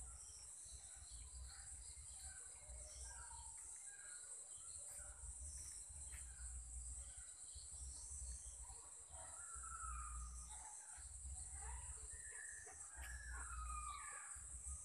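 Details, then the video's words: Sri Lankan insects calling around 7 pm: a sustained piercing high drone holds throughout, while brief faint bird calls and a deep background rumble come and go. "Insects CHIRPY Sounds in Srilanka"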